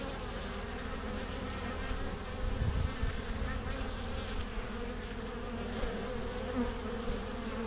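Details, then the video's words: Honey bees at a hive entrance in April 2015, bringing in pollen and nectar; a continuous low, droning hum of many bees flying close by, steady throughout with slight swells in loudness. "Bees at the Hive Entrance"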